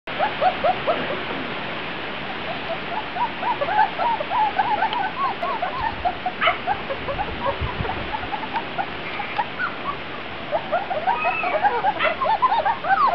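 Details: Grand Basset Griffon Vendéen puppies of a litter, outside for the first time on 23 June 2009, producing a busy stream of short high yelps and squeaks from several pups at once, with steady rushing background noise.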